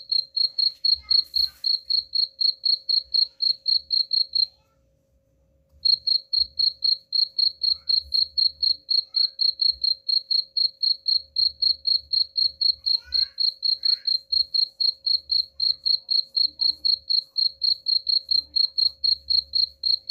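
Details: Rapid, regular cricket chirping meant to drive off rats: shrill pulses repeated about four per second, one brief pause early on, then a long unbroken sequence, with a quiet steady hum and occasional soft low knocks.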